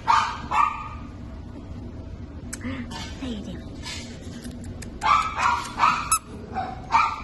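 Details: Black and white Havanese puppies yapping in short high barks, a few at the start and a quicker cluster near the end, with a brief murmur of human voice in the quieter middle.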